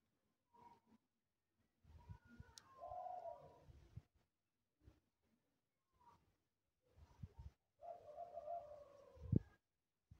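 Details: A lost white cat in the street gives two drawn-out, slightly wavering meows, each over a second long, separated by quiet gaps holding soft thumps and rustling.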